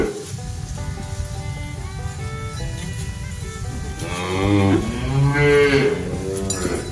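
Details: Herd of village cattle walking slowly along a quiet village road in the cool late-afternoon wind, returning from pasture with a herder following; after four seconds of steady background music, deep, drawn-out moos with rising and falling harmonics break in.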